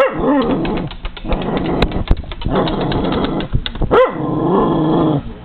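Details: Cairn Terrier dog barking and growling while going after feeding seagulls and crows, with a window between them; a dense stretch of growling and rough noise with a few sharp barks, one clear bark near four seconds.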